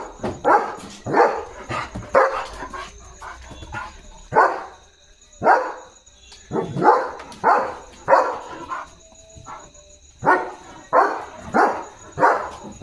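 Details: A German Shepherd barks in deep, gruff bursts, singly and in quick pairs, while guarding his area in pitch darkness at night, running about and barking even at passing vehicles.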